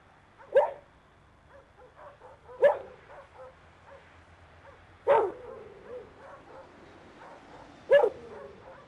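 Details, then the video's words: Guard dog barking to alert on an intruder approaching a facility fence: four single loud barks spaced two to three seconds apart, with softer muffled sounds between them and a faint low hum. "Watch dog Alarm system"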